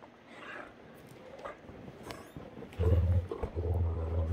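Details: Sunday morning play between two Great Danes, Heartbreaker and Rhapsody: quiet scuffling noises, then a sustained low, throaty growl rising in loudness and continuing in pulses to the end.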